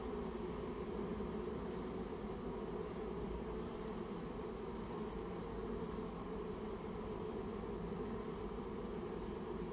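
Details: Japanese honey bees from a colony being cleared out of a storehouse give a dense, continuous low buzzing hum with no pauses.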